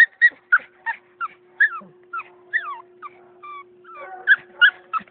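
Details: Purebred Beagle puppy, AKC registered, whining and yipping in quick bursts, with bright clipped yelps and a few longer rising-falling whines between them, over a constant low electrical hum.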